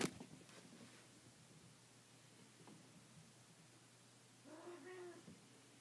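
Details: Traditional Siamese kittens, watched over by their mother Bluebelle, explore and run along an indoor hallway for the first time; a sharp knock and soft scuffling, then one short, clear, harmonic meow near the end.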